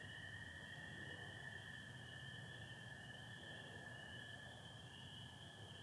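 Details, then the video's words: Spring peepers and American toads heard together on a Michigan spring night, 24 April 2025, sky partly overcast with stars; dense high-pitched chorus holds steady over a sustained lower trill, quiet distant background. "Sounds of spring peepers and american toads"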